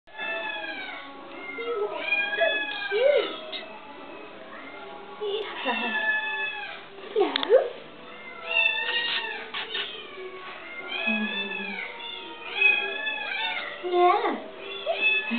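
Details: Pet domestic cat, one of two kept together, one described as shyer, giving repeated drawn-out meows that rise then fall, several in quick runs, while a woman talks warmly over them.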